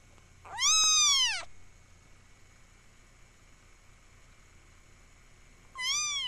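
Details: Kitten meowing indoors, sound possibly altered by camera effects: a loud, bright, arching meow of under a second, a long pause, then a second similar meow beginning; steady faint hum behind.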